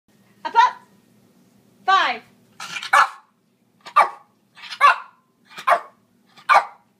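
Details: A female Lhasa Apso counting on command with a run of about eight short, sharp barks, spaced under a second apart after a first pair, while a woman praises her.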